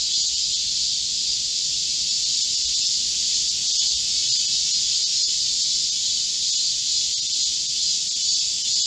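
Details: Korean cicadas chorusing in a midsummer green forest during a heatwave on 25 July 2024: a dense, unbroken high-pitched buzzing hiss held at an even level throughout, with no other clear sounds.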